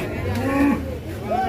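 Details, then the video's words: Enraged cattle in Indonesia bellowing a short arched moo that rises and falls, followed by a brief higher upward call, with men talking and music behind. "SAPI NGAMUK MARAH"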